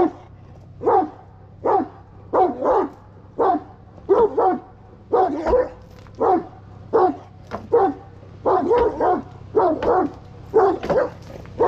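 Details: Aggressive Kangal barking in a sustained, fairly even series of rough barks, roughly one or two per second, with a steady low hum behind.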